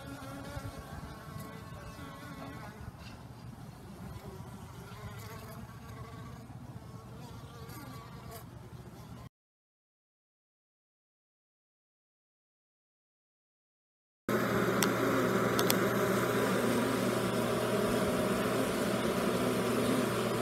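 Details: Honey bees all out flying on a pleasant day after a night of torrential rain, in a new year warmer than usual; a steady droning hum with layered overtones, broken by a silent gap midway, then a louder, denser buzzing swell.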